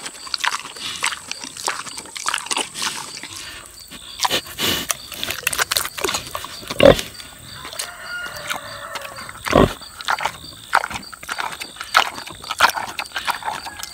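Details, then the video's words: Six-year-old boar pig chewing tomatoes, with scattered wet smacks and clicks, quieter stretches between bites, and a few loud sharp snaps near the middle; a steady thin hiss lingers in the background. "Boar Pig Eats Tomatoes - ASMR / Smacking Sounds"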